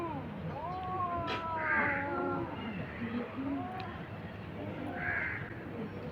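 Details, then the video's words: Two cats fighting on a tin roof at noon: long wavering yowls with strong harmonics slide up and down through the first half, with quieter moans later, while a crow caws loudly twice in the background. "Cats fight"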